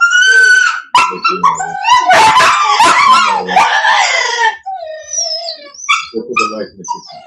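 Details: Cane Corso, the Italian Mastiff, from an AKC breeder west of Nashville, Tennessee, giving loud high wavering whines and howls rich in overtones, broken by short barks and yelps, with a thinner whimper trailing off near the end.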